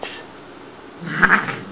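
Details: Shiloh, a female Siamese cat, talking indoors during play: one brief, bright meow near the end of a quiet stretch, over faint room hum.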